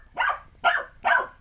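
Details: Puppy named Alphie barking while chasing a remote control car; three loud, rasping yaps in quick succession, roughly every half second, clear and close with a quiet background.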